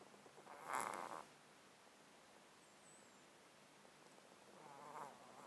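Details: Pet tomcat dozing in a box, recorded at close range, his breathing congested by a disease of thirteen years: a gurgling, rattly snort early on, then a softer raspy breath about four seconds later.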